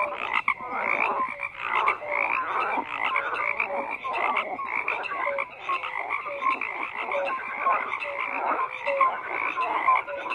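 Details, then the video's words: Frogs croaking en masse, a steady wall of raspy calls dotted with short mellow notes at irregular intervals, unbroken throughout with nothing else audible. "FROGS CROAKING"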